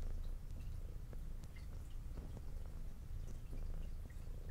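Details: Indoor brown tabby female cat with a white underside purring during a meal; dense, even low purr with rhythmic pulses, overlaid by light ticking and lapping eating noises.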